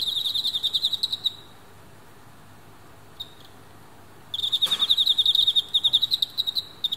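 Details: Male Emma field crickets in captivity fighting hard, a female close by: a rapid chirp train stops, near-silence with one tiny click for three seconds, then a sharp knock and a renewed fast pulsed chirping burst.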